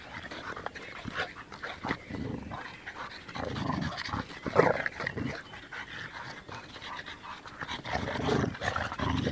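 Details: Dog among an American Bulldog, French Bulldog and Bull Terrier compared side by side, breathing in heavy, noisy pants and snorts that come in irregular clusters, with a sharper huff in the middle.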